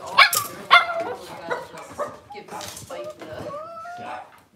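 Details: Cavalier King Charles Spaniel puppies indoors in a kitchen on a cloudy Monday morning, giving short high-pitched yips followed by thin, wavering whines that slide up and down, with soft human voices beneath.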